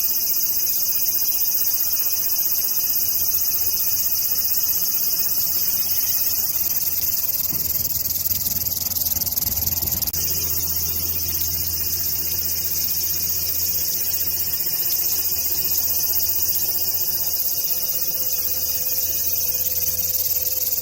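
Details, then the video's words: Cicada chorus in Korea, a dense, unbroken high hiss held steady for twenty seconds without pauses, with a faint low hum underneath throughout. "매미소리 듣기"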